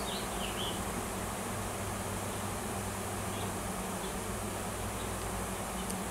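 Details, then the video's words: Farm in Washington where a swarm of wild honey bees with a new queen circles a tree looking for a new nest; steady dense buzz with a droning low tone, plus a couple of faint bird chirps. "Swarm of WILD HONEY BEES & NEW QUEEN"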